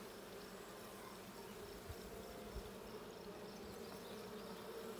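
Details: Colony hum from honey bees in the Blue hive, checked on 20 June 2022; an even, layered drone with a brighter buzzing band, plus a few soft low thumps near the middle.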